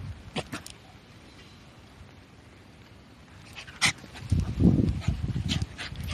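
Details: Shiba Inu named Korosuke, out on a walk, suddenly digging a hole on a raised path between rice paddies in light drizzle; sharp scratchy clicks, then a dense burst of low, breathy huffing and snuffling near the end.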